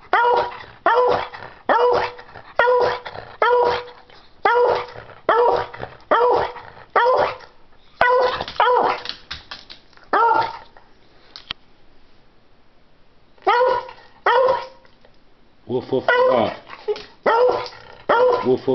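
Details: Dog barking non-stop while wanting a treat: sharp, harmonic woofs in an even rhythm, roughly one per second, for about ten seconds. After a short quiet pause, quicker clusters of barks resume and continue to the end.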